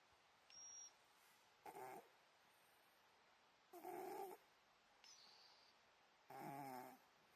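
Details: Old Scottish Fold cat fast asleep and snoring: soft, rasping breath bursts about half a second long, recurring roughly every two to three seconds against a quiet room background.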